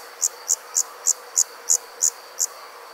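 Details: Night-time cricket chirping: eight sharp, high, pulsed chirps at a steady pace of roughly three per second, set against a constant faint high hum.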